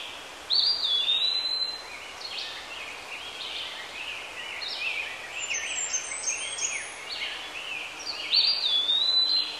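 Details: Squirrel monkey calls opening with a sharp, high whistle that falls away. Faint chattering chirps follow through the middle, and a second bright, sliding whistle comes near the close.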